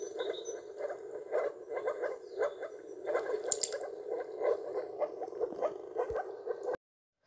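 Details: Breeding moor frogs, pink-coloured in a Polish town during their one-to-two-week mating season, producing a dense chorus of muffled, popping, bubbling calls repeated quickly and overlapping, with a brief sharp click partway through.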